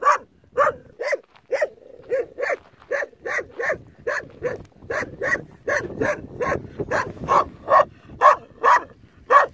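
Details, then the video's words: Young Kangal dog alone with a flock of sheep it guards, barking persistently in a fairly even series of short, clipped barks about twice a second, some rising into higher yelping tones toward the end. "Sürüyü tek başına koruyan yavru kangal"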